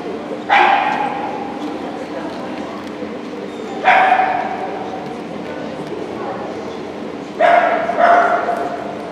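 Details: Shetland Sheepdog at an Obedience-1 competition, Saint Petersburg Cup, 11 February 2018: three loud, sharp barks with a ringing echo, spaced about three and a half seconds apart, over steady hall background noise and a faint hum.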